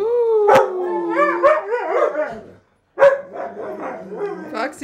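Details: Huskies from a household of several dogs howling together, long sliding tonal howls with wavering pitch and harmonics, a short clicky bark mid-way, a brief gap, then overlapping wavering howls resuming.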